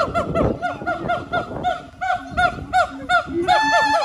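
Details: Siamang gibbons at the Honolulu Zoo, Oahu, Hawaii, on 15 September 2022 sing a fast run of loud, goose-like barks several times a second, each note swooping up and down, growing brighter and more ringing toward the end. Siamang.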